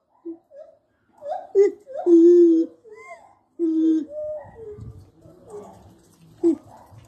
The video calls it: Gibbon calls